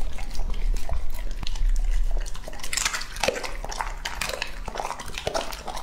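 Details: Male English-type Labrador Retriever Lucky, aged two and a half, finishes an indoor meal of cherry radish, berries and goat-milk jelly. Quick licking and lapping clicks, several crisp crunches midway, and soft bowl taps fill the few seconds.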